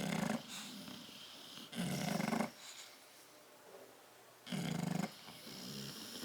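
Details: Tyson and Tyra, two bulldogs asleep in a crate, recorded 10/30/12: deep rasping snores in slow bursts with quiet breathing gaps between them.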